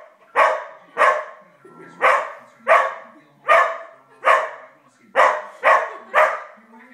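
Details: Agitated barking from Koda, a young Australian Shepherd of five months, reacting indoors to Happy Gilmore on the big screen; nine loud, sharp barks come roughly every 0.7 seconds, faint television sound beneath, iPhone recording.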